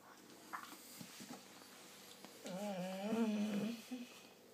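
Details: German Shorthaired Pointer morning talking: soft snuffles and thumps, then one long, quavering, moaning whine with a wobbling pitch, ending in a short grunt.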